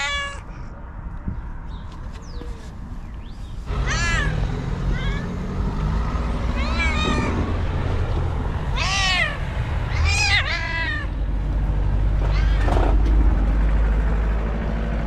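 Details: Angry white cat screams repeatedly, a run of loud, drawn-out harmonic yowls that rise and fall, some clustered in quick pairs, with a heavy low rumble building underneath.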